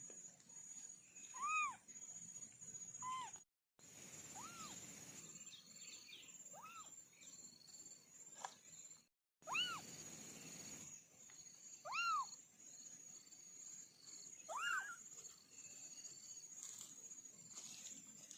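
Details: Orange kittens from a family of four meowing repeatedly: short arched mews, some sliding up then down, roughly every two to three seconds, with a few faint chirpy squeaks, a steady high whine and two brief silent gaps.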